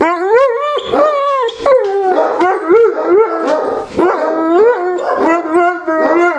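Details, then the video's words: Several Neapolitan Mastiffs indoors at night, settling down minutes after going wild at the door when a lost stranger knocked. Overlapping tonal whining howls rise and fall in bursts throughout, some sliding upward, with brief breaks between calls. "Neapolitan Mastiffs settling down after raging at the door at night"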